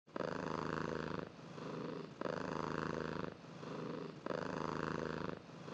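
A domestic cat purrs steadily, a low rumbling vibration that swells and eases with each breath.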